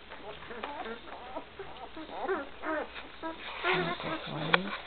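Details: Great Dane puppies one week old, with their mother Gracie, in 2012. Overlapping high squeaks and whines rise and fall in quick succession. Several pups call at once, with some short louder yelps near the end.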